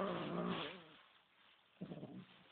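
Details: Kimiko, a Bengal cat, angry on the day another cat, Kameron, was brought home from a cage into her house. A low, harmonic, moaning growl runs for under a second, then a second shorter growl follows after a pause.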